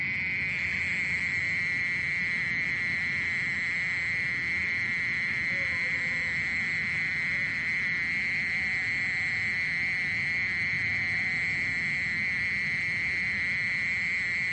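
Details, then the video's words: Long, unbroken high buzz of a mole cricket's song, recorded in 2020 by the National Institute of Biological Resources. The pitch stays level throughout over a soft low rumble, with faint thin whistles in the background. "땅강아지, 여러번 듣기, 곤충소리"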